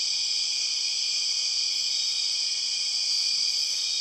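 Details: Borneo rainforest empress cicada, the largest and one of the loudest cicadas, giving an even, piercing, multi-toned buzz that never varies across the few seconds.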